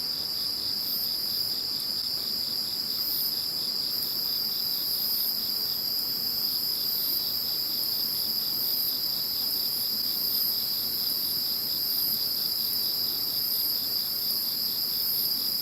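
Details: Chorus of insects after Typhoon No. 21 has passed, a steady high continuous trill near the top of the range with faint pulsed buzzing above, unbroken throughout, no other sounds clear.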